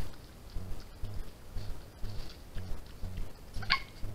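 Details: Trail-camera recording of a European badger cub, 16 June 2021: steady soft low thumping pulses about once a second, then one sharp, bright squeak near the end.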